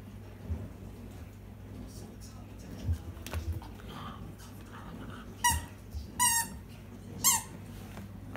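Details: Miniature Schnauzer, a pet dog indoors, telling its owner to throw the ball; three high, wavering squeaky cries come late in the clip, each short and shrill, over a quiet room hum.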